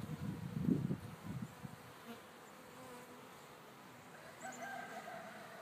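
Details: Beehive bees out of the hive on a sunny, mild winter day in a back field, producing a low buzzing drone with a louder close fly-by at the start and a soft background hum afterwards.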